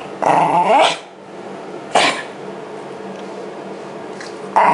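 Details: Shiba Inu Yamato, brushed during the seasonal shedding of its winter coat in 2012, gives three short, rough growling bursts with long quiet gaps between them.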